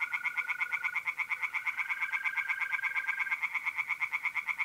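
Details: Tree frogs singing in a pond by night in mid-April, North-East Italy: a fast, steady run of sharp, nasal croaking pulses fills the whole stretch, over a continuous high trill of mole crickets that stops partway through.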